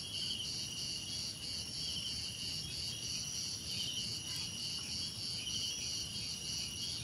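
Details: Many crickets chirping together in a calming nature ambience, shrill ringing trills held steadily at several pitches, the lower trill pulsing in brief bursts, with a gentle low-pitched rumble beneath.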